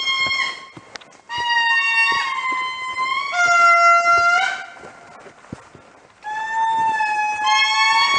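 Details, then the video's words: Indri calling in the morning at Andasibe, Madagascar: loud, wailing harmonic tones held and gliding in long bursts, with pitch stepping up and down between phrases and short quieter gaps between bouts. "Indri Call"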